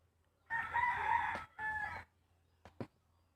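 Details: Ginger cat making a weird sound while grooming itself: one harsh, nasal, drawn-out cry of about a second, then a shorter matching cry, followed by two brief clicks in a quiet room.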